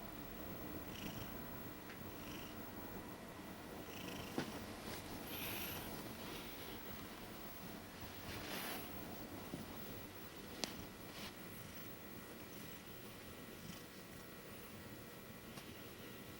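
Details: Sleeping female Maine Coon napping on a bed while being cat-sat, normally cautious around people; a soft, low, steady rumbling snore with gentle breath swells every second or two, and a few faint clicks in a quiet room.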